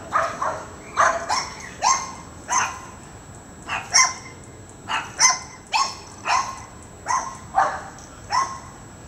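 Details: Dogs named Shelby and Souffle chasing neighbourhood squirrels out of a yard, with a Sheltie nearby joining in; sharp barks repeat steadily, about every half second, in a long run of roughly fifteen yaps.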